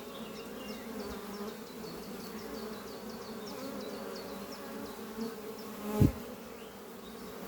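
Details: Honey bees flying at a horizontal hive built from an old French oak chest under trees on a spring morning, workers bringing in pollen; steady low droning hum with swelling passes, faint high repeated bird chirps behind, one sharp knock near the end.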